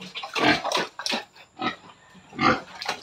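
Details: Pregnant sow at 112 days, near giving birth, makes four or five rough, noisy grunting bursts spaced about half a second to a second apart, separated by quiet gaps.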